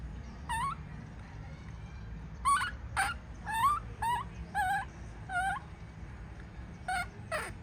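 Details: Baby monkey throwing a tantrum as its mother leaves: a string of tonal, harmonic wailing cries with rising and falling pitch, about one a second with uneven gaps, over a low background rumble.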